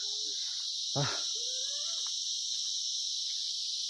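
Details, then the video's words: Shrill, unbroken high-pitched cricket chorus fills a sunless, thick pine forest at Icche Gaon, Ramdhura, in the Kalimpong area of North Bengal. A short spoken exclamation and voices rise briefly above the steady insect drone. "ঝিঝি পোকার আওয়াজ আসছে দেখেছো?"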